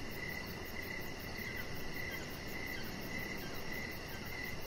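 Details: Evening crickets heard from a deck, with a chihuahua puppy resting nearby; evenly spaced high chirps, about eight in under five seconds, against constant background hiss.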